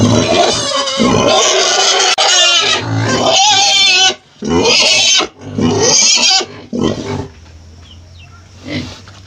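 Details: Pig squealing in loud, harsh, high-pitched bursts of one to two seconds separated by short breaks, easing after about seven seconds into a quiet low hum.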